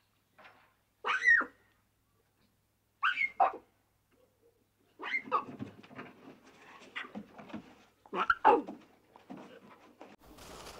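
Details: Lion cubs at play in the wild give short, high, whining calls. Two separate cries come first, then a denser run of overlapping whimpers and rough, growly sounds, with a burst of rustling noise at the end.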